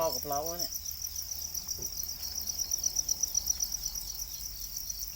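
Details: A brief human voice opens, then domesticated black crickets, known as Para crickets, keep up a continuous high, thin chirping chorus with quick irregular pulses in the background.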